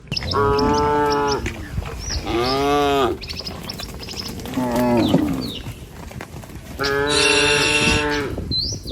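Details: ['Tame village cattle herded in a line across a wooden bridge along a rice-field path toward grass; long, deep harmonic moos of about a second each, four separated calls with quieter pauses, faint high chirps between.']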